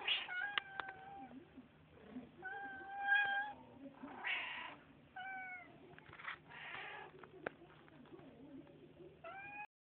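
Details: House cats greeted by their owner call back with frequent, clear meows, some rising and falling, others short and clipped, coming every second or two from more than one cat, with scuffling and brief clicks in a small room.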